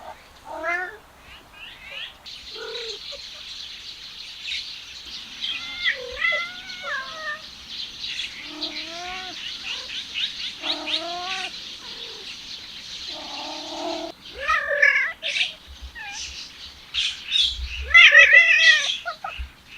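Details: Male cats trailing a female cat, giving wavering, bent yowls and short meows that come and go over a steady high hissing background, with a louder run of quavering cries near the end.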